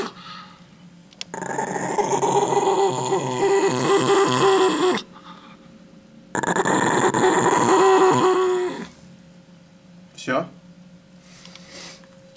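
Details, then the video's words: A dog guarding a chicken bone it won't give back growls in two long, steady rumbling bouts of about four and three seconds, a brief squeak after, in a small indoor room with someone coaxing it. "Собака не хочет отдавать косточку - The dog won't give back a chicken bone"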